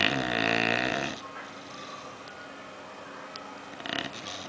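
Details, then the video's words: Snoring bulldog named Oliver, asleep and dreaming, opens with a loud, rattling snore lasting about a second, then a quiet pause and faint breathy sounds. "Meu bulldog roncando"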